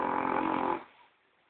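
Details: Sleeping French Bulldog called Gordon giving one loud, rough snore of under a second that trails off into quiet breathing.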